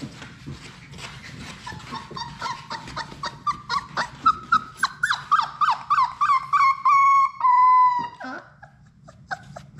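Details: Sadie's six Labrador Retriever puppies at play in their room: a run of rapid, rising whimpers that builds into long, steady, high whines near the end, then breaks off into quieter scuffling.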